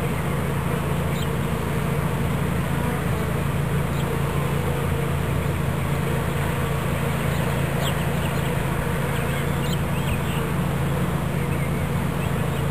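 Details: Swarm of honeybees being captured into a new hive body in Watkinsville, Georgia; a steady, dense low hum that drones without pause throughout, with a faint scattering of higher crackles overhead.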